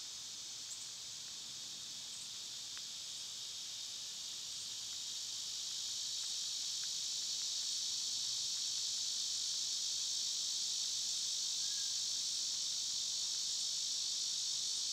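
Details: Summer cicada chorus as an unbroken high electric hiss, slowly swelling louder through the first half and holding steady, with a few faint clicks and ticks beneath.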